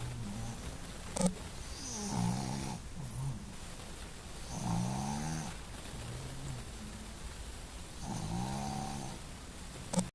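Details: Sleeping female Boston Terrier snoring; wavering, gurgling snores rise and fall about every three seconds, with soft wheezy whistles mixed in and a couple of brief clicks.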